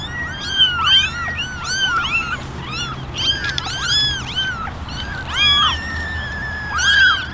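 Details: Ten ginger kittens and one white kitten sit together in a basket, meowing for attention: a chorus of high, arched, overlapping mews, many voices calling at once with short rising-falling cries throughout.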